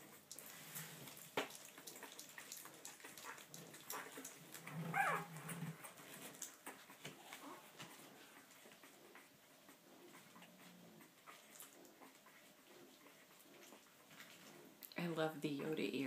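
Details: Olde English Bulldogge puppies, one week old, in a litter indoors; soft shuffling and rustling with brief faint squeaks, then a louder, higher whining squeal in the final second.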